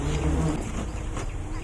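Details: Stingless bees (kelulut) swarm in an opened hive box while honey pots are harvested with a honey pump. The result is a low, steady droning hum with faint rustling above it.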